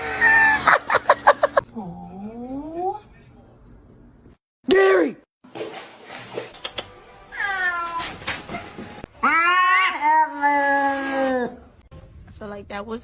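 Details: Domestic cat giving several drawn-out meows, some rising and others arching up then falling, separated by short pauses, with a rapid burst of clicky sounds at the start, a brief loud thump, and human voices in the background.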